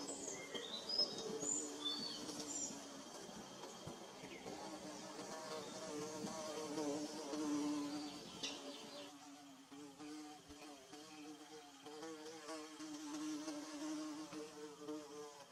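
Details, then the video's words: Bees building their nest, a steady low buzzing hum with rich layered overtones that wavers in pitch. A few high bird chirps sound early on, then the drone carries on alone. "Bee Buzzing"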